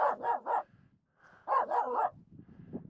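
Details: Finnish Spitz Aamu insistently barks at two reindeer walking close on a snow pack on Mulen; a rapid run of three barks, a brief pause, then another quick burst of three, with low rustle.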